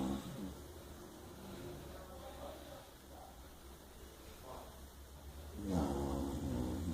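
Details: Chow Chow named Tobby snoring while asleep, a low rough rumbling breath repeated steadily through the clip, swelling louder near the end.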